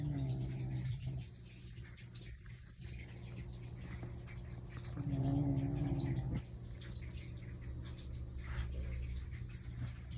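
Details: House cat (Mei or Totoro) asleep and snoring: a low snore at the start and another, louder and rougher, around five seconds later, with soft indoor hiss between breaths.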